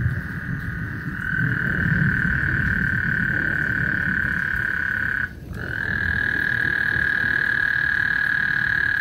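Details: Frog serenade at Lake Houston ahead of a thunderstorm: a continuous, even-pitched buzzing trill stretches several seconds, stops for a moment, then starts again, backed by steady low-frequency noise.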